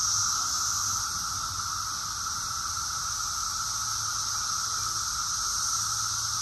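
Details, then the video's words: Summer cicadas in Rockville, Maryland, USA, June 2021, sing as a chorus: an unbroken shrill buzzing wash holding a constant high pitch throughout, with a faint lower whine below and a slight low rumble in the background. "Cicadas song || Cicada's chorus song"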